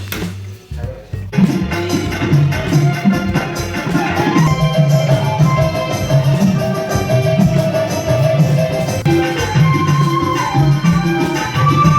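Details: Loud music with drums and percussion fills the recording, with some speech and no animal sound.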